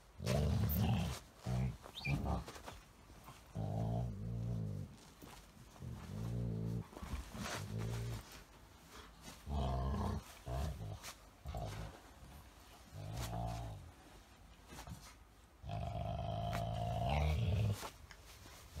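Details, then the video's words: Golden Retriever named Elena playing with a Chihuahua-Shih Tzu mix, making odd 'dog talk' during a friendly mock battle; low growly moaning bursts, each about a second long, repeated irregularly with pauses between. "訳の分からん犬語を話しながらじゃれ合う愛犬たち(笑)[Golden Retriever]"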